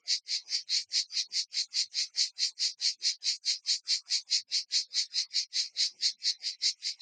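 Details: Provençal cicadas singing together outdoors near Vaison-la-Romaine, Provence, France: a high, buzzy pulsing chorus with very regular rasping beats about four times per second, steady throughout.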